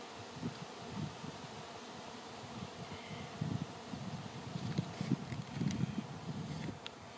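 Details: Swarming honey bees filling the air before settling on a branch to await relocation; a low, droning buzz swells and fades in overlapping bursts, growing denser and louder toward the end over a faint outdoor hiss.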